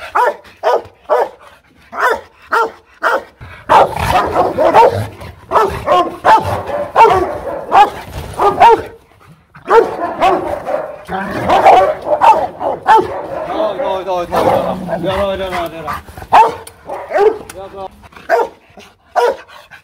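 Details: Fierce Rottweiler barking at a kennel in Hoang Mai, Hanoi: rapid gruff barks that thicken into a dense, overlapping, almost continuous barrage through the middle stretch, then thin again to separate barks near the end.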